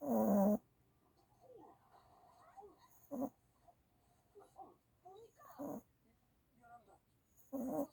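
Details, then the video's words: One-year-old puppy snoring in its sleep after seizures had kept it from sleeping: loud rasping snores about every two to two and a half seconds, with faint soft whimpering sounds in between. "경련발작으로 못자던 한살강아지가 코고는 소리 puppy snoring without compulsion"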